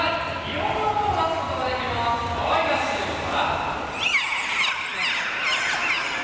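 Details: Dolphins at a show at Shimonoseki Kaikyokan aquarium, Japan, give rapid high whistles sweeping up and down, from shushing sounds to birdlike chirps, while sea lions call along in an echoing chorus.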